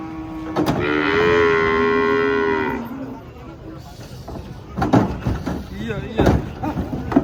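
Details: A long, steady moo from giant cattle coming down off a truck, lasting about two seconds with rich stacked harmonics, followed by quieter voices, knocks and engine rumble.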